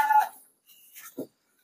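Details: Goat among sixty being loaded and shipped by vehicle at night to the city of Jambi, Indonesia, gives one short, harmonic, wavering bleat, followed by a near-silent pause and a faint low thump.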